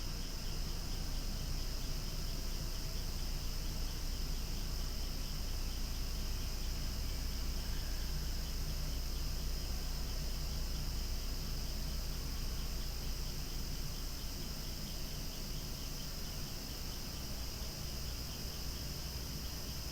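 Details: Loud cicada chorus outdoors among swaying flowers, a constant shrill buzz with no breaks or rhythm changes, layered over a deep continuous rumble of wind or distant noise.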